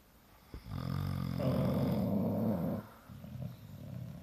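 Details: A bulldog asleep beside its owner, both snoring together; one drawn-out, throaty, low snore of about two seconds rising out of near silence, then a softer breath.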